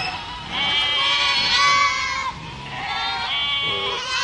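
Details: A goat herd calling, with two long quavering bleats, the first strong and steady, the second slightly lower, followed by a short higher bleat at the end.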